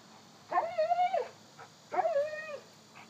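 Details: Two long, plaintive whines from a one-year-old Cane Corso puppy acting like a baby, each holding a level pitch and then sliding down at the end, separated by a brief pause, with a faint steady hiss behind.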